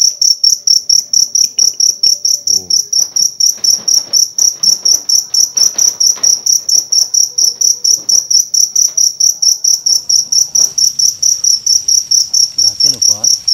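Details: Cricket heard during a night hunt for crickets in Indonesia, searched for by battery torch. Loud, high, shrill chirps repeat steadily about twice a second throughout, with faint voices and rustling beneath.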